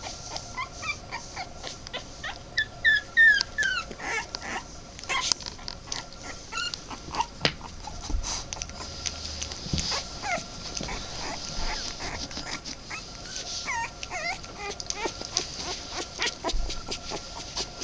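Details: A 2.5-week-old male Boston Terrier puppy gives thin, high squeaks and whimpers, rising and falling in quick bursts.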